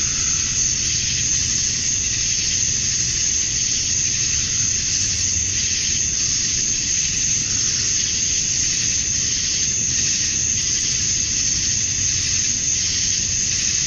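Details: Evening cicada chorus from a summer night in Georgia, USA, males calling to draw females; an even, high shrill drone and hiss with a steady whistling tone and faint periodic surges.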